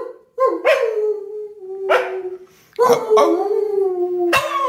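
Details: Pet dog Digby, coaxed into singing with Grandad in November 2020, gives drawn-out mournful howls, steady and slightly falling in pitch, punctuated by abrupt yelps and breaks between phrases.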